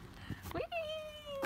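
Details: Ferdinand, a rescued male calf, calls while playing with a ball: one drawn-out, clear tonal note, gently falling in pitch, with human voices cheering just before and praising him right after.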